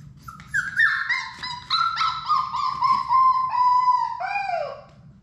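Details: From a play room holding six Labrador Retriever puppies, Sadie's litter, comes one long plaintive whine. It jumps upward early, sags gradually through a sustained middle and ends in a short falling yelp, against a quiet low background.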